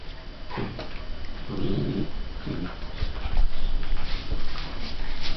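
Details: Border Collie puppy Jaeger, 47 days old, with a second Border Collie, Mocha, 5½ months old. Short rough low-pitched vocal bursts, the longest lasting about a second, break through a steady background hum indoors.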